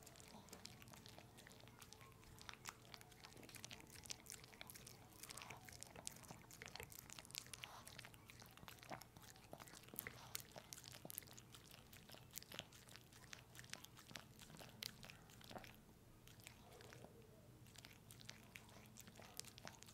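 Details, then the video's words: Indoors, the pet dog Pepe chews peanut butter close to the microphone: continuous busy smacking and biting clicks, briefly easing near the end, over a low background hum. "Watch my dog eat peanut butter!"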